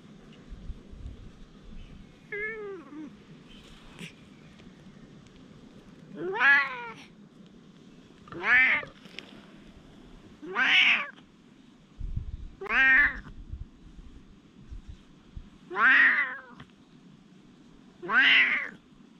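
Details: Quarrelling stray cats, one perhaps Dufy, facing another cat that arrived, captured on a GoPro HERO8: a series of seven sharp, bright meows repeated roughly every two seconds against a low background hiss.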